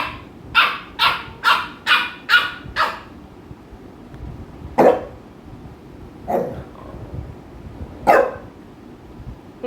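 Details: Two pet American Bullies, Mikku and Ami, in Kerala, with Ami pestering Mikku: a quick run of six clipped barks about half a second apart, then three deeper, more widely spaced woofs against quiet room noise.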